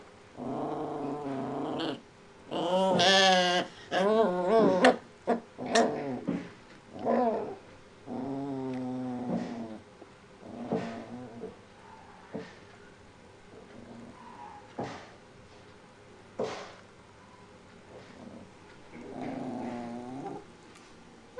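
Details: Shiba Inu puppy making funny noises: a run of warbling, wavering whines and grumbles with rising and falling pitch in bursts over the first half, then shorter scattered yelps and a final drawn-out whine.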